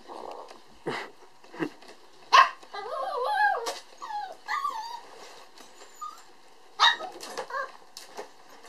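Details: Red male puppy born on December 22, giving thin, wavering whimpers that rise and fall in short bursts, mixed with sharp clicks and knocks and a few brief squeaky yelps.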